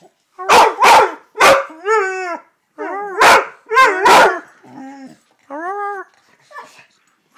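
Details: Male red-nose pit bull, a household pet, alternates loud rapid barks with short arching howled notes, several barks in quick clusters followed by brief rising-and-falling wails, ending in quieter yelps.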